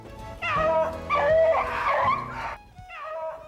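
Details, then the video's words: Beagles baying in a Minnesota woodland while hunting snowshoe hare with Doug Simons: overlapping drawn-out, tuneful howls that swell and break off, followed by a shorter bay. "The sound of music, baying beagles to Doug Simons."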